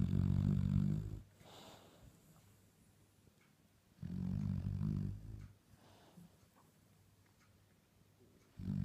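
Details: Dalmatian pup asleep, its snoring likened to an old man's: three throaty, rattling inhalations roughly every four seconds, separated by near-silent pauses in a small room.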